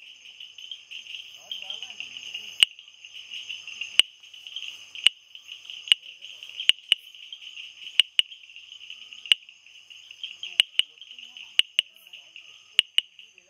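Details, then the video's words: Bombay bush frog, called typewriter frog, tapping out a long irregular series of about fourteen brisk clicks, occasionally doubled, over a persistent shrill insect-like hum. "Bombay Bush Frog AKA Typewriter frog"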